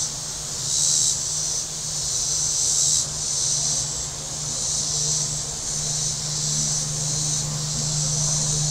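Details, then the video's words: On Table Rock Lake in southern Missouri on a warm Saturday, cicadas on the shore produce a shrill buzzing drone that surges and dips every second or so, while a boat motor hums steadily underneath. "Boating Lake Sounds and Cicadas"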